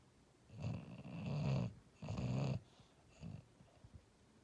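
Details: A sleeping, dreaming English Bulldog snores in deep, rattling, low-pitched breaths.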